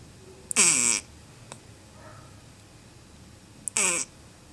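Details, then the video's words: Sleeping female Lhasa Apso puppy named Lili snoring calmly, two brief harsh wheezing snores with a whistly edge, about three seconds apart, amid quiet indoor background. "Lili roncando (filhote fêmea de lhasa apso)"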